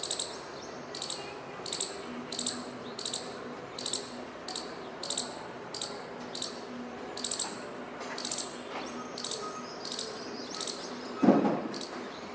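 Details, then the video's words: High, piercing squirrel chips repeated steadily, roughly every three-quarters of a second, about fifteen in all, with a low faint hum beneath and a single louder dull knock near the end. "Squirrel Making Noises"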